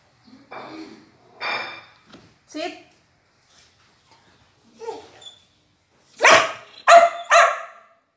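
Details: Female Border Collie 'talking' at mealtime while being told to sit down. Scattered short vocal bursts, then three loud, harmonic yelps in quick succession near the end. Quiet gaps between calls.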